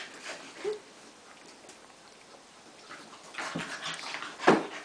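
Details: Two retrievers, Daisy the Golden and Shelby the Flat-Coated, at play; one short rising yip early on, a quiet stretch, then loud scuffling and a sharp snort near the end.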